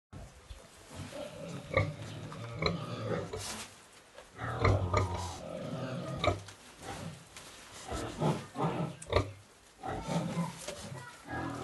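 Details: Pig in a home piggery during a sow's first farrowing, eight piglets born; short low grunts and squeals come in irregular bursts, with brief rustling between.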